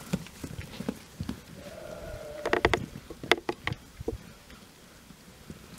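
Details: Young Jura sheep about twelve months old, in a flock with a breeding ram added a few days earlier, on pasture by day. One drawn-out, steady bleat of about a second, then several sharp clattering knocks and thuds.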